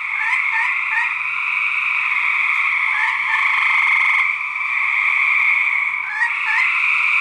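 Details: Male gray treefrogs fighting, part of a research project: loud, continuous pulsed trills in two bright bands, overlapping callers forming a dense chorus, with short rising chirp-like notes breaking in repeatedly.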